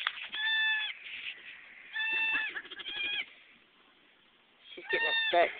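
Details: Domestic goats during a nanny's birthing of kids: three bursts of high, wavering bleats with stacked harmonics, separated by short pauses, with people talking nearby.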